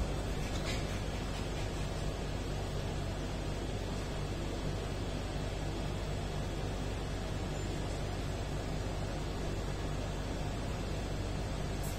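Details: Dense hiss and low hum run throughout, with only a faint brief knock near the start and no animal sound.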